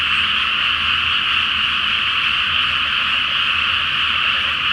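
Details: Frogs croaking en masse in a water-filled rice field at night before planting, full moon, Japan; a dense, even chorus of overlapping calls with no pauses.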